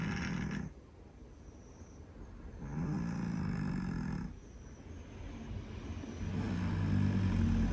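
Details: A slumbering Scottish Fold cat gives softer, low, breathy snores. Three rough, droning snores rise and fall over several seconds, with gentle quieter gaps in between.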